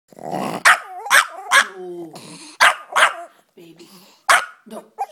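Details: Pet Yorkshire Terrier yipping in frustration at not being allowed to chase the cat: sharp high yips mixed with wavering whines and a short growly moan, about six bursts in five seconds.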